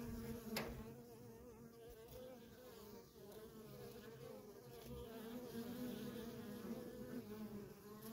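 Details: Busy worker honey bees at a wild feral colony give a steady, quiet humming drone with a wavering pitch, one sharp click near the start, and soft rustling noise throughout.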